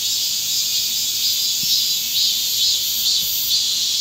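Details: Cicada chorus in the hot Korean summer: steady shrill buzzing, high and continuous with slight rhythmic swells, nothing else prominent.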